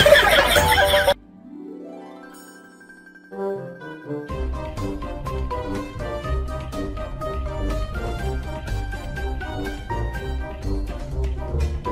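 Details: Bright plucked-string and chiming children's music plays throughout after a brief loud opening burst and a short quieter gliding passage; no animal voice is heard.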